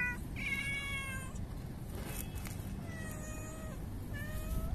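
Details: Pregnant-looking street cat, aggressive toward other cats, gives long tonal yowls that slide and waver, with a brief noisy burst between calls and constant low-frequency street hum beneath.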